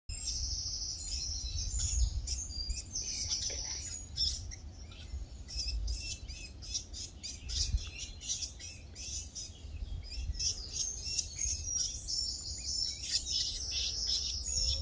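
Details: Two young least weasels (Mustela nivalis) play-fighting in the Leenderbos, Netherlands, training for hunting, give shrill, high squeaks and quick chittering bursts over a low rumble.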